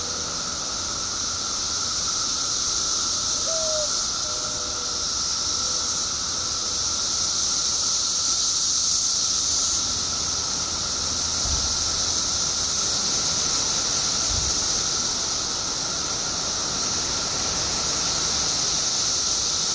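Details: Periodical cicadas, billions emerging after 17 years underground in Illinois, fill the air with an unbroken high-pitched whining roar that swells slightly midway; a short chirp and a couple of low thumps break through.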